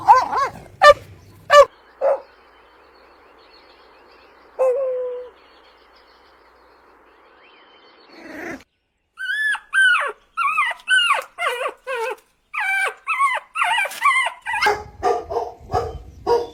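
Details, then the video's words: Puppies drinking milk on a lush green meadow: a few sharp barks open, then a drawn whine, then a quick string of high, bending yelps and whimpers, rising and falling in pitch, roughly one and a half per second. "Adorable Puppies Drinking Milk on a Lush Green Meadow | Puppy Video | Cute Barking Sounds"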